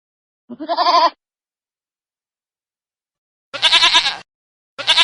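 A young goat gives a high, quavering bleat, then two more wavering bleats after a pause.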